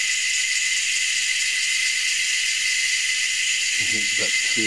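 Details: Several cicada species, three or four, calling unseen from the tops of trees at Anstead, Queensland, Australia; a constant high buzzing wall of sound, with a man's voice briefly heard near the end.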